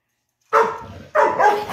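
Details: Ludo, a pet dog, in a playful morning barking competition indoors; two loud, harsh barks about half a second apart, the second one drawn out and wavering.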